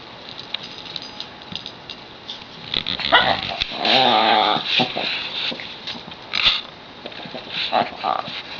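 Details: A dog voicing its odd noise when it wants the toy or bone another dog has; broken, raspy grumbles and whines in uneven bursts, loudest in the middle, with rustling and handling sounds around them.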